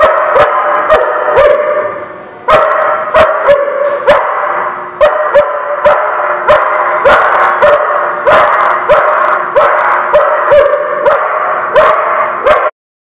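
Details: Persistent dog barking from 16 January 2017, a steady stream of loud, harsh barks repeated about once or twice a second for over twelve seconds, some overlapping into dense bursts, ending abruptly.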